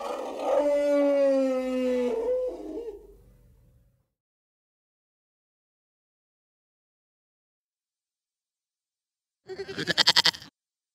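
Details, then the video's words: Dog howling: one long, steady, tonal note gliding slightly downward for about two seconds, then fading out, followed after a long silence by a brief harsh broadband burst. "funny animal sounds - bunny, chicken, goat, dog, horse, elephant"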